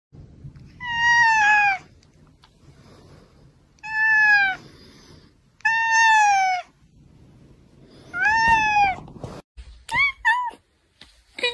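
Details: Domestic cat in a funny cat reactions compilation, giving four drawn-out harmonic meows that slide slightly downward, spaced about every two and a half seconds, then a quick burst of short chirpy calls at the end.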